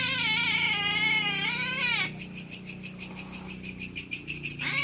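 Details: Night-time territorial fight between cats: a strained, wavering yowl holds for two seconds, breaks off into quiet, then a new rising howl begins, over constant high pulsing insect-like chirps.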